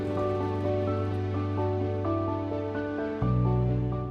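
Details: Soft ambient music with sustained low tones and gentle plucked notes; no animal sounds.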